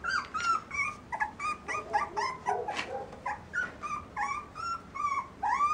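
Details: Dog whimpering and yipping steadily: a stream of short, high, tonal whines, some rising and some falling, several per second with brief gaps, and a sharper yelp near the middle.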